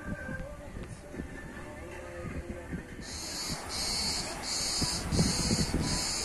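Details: Cicadas sing in loud, high, buzzy pulses repeating about every half second, with voices beneath, at Lido Water Park near Mastichari on Kos, Greece, in summer.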